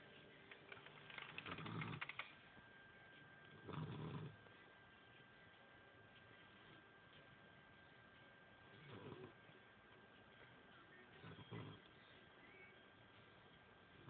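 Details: A little puppy snores softly while sleeping. Four breathy, rasping snores with a low hum come at uneven gaps of about two to five seconds against a quiet room hiss.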